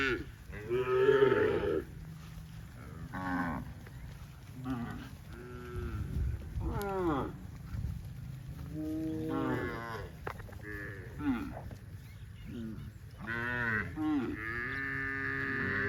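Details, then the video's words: Herd of dozens of tame cows running happily through green grass rice fields on a cattle farm; a chorus of repeated moos from several animals, some arching up and down, others flat and nasal, with constant low rumble. "COW SOUNDS"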